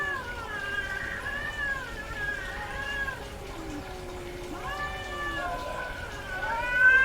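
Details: Female domestic cat in heat producing softer, overlapping wavering meows and low moans, with a louder sliding wail near the five-second mark and a rising cry at the very end.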